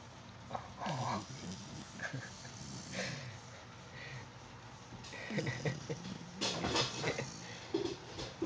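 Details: Sleeping puppy making soft snoring sounds: irregular snuffly breaths with brief whimper-like tones and low rumbles, louder bursts clustered near the start and again toward the end, no other clear sounds.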